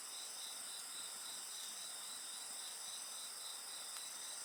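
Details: Steady shrill insect chorus next to a bonfire, multiple constant high trills overlapping, one softly pulsed, and a faint crackle from the fire.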